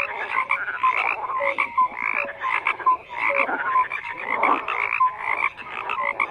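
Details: Croaking frog chorus with pulsing bursts of rasping calls and frequent brief tonal pips, the overlapping voices rising and falling in loudness every second or two.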